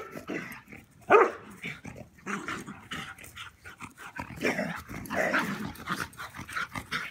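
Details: Rooney, a German Pinscher, playing outdoors with a Rat Terrier; rough, uneven growling and huffing noises come in bursts, with a couple of louder snarls and scuffling throughout.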